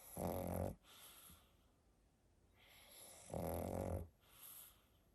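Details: Pangpang the pug snores at bedtime during a long nap. Two rough, rasping snores under a second each come about three seconds apart, with softer breathing between them.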